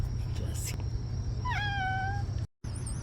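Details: A domestic cat gives a single clear meow in reply to its owner coaxing it to meow as a greeting.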